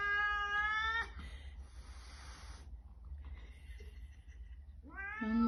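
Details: A stray cat found on the street meets the house cat for the first time; a harmonic meow ends abruptly, a hiss-like noisy burst follows, then quiet, and a new rising meow starts at the end.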